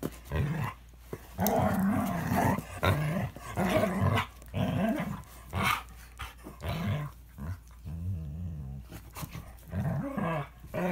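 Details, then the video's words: Vicious fight between a Toy Manchester terrier and a Standard poodle, continuous deep growling and snarling in rapid bursts, rising and falling, with scuffling throughout. "Toy Manchester terrier and Standard poodle get into vicious dog fight"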